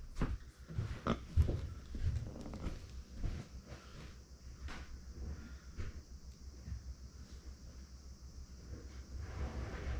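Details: Female micro pig, born September 2020 and kept as a family pet, calls out when no one is nearby. Soft, low grunting and short squeaky bursts come at irregular intervals, clustered early, in a quiet small indoor room.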